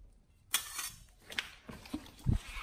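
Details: Pit Bull named nomyen eating a raw whole Thai duck for the first time. Half a second of quiet, then a sharp wet crunch and a series of irregular crunching and tearing bites.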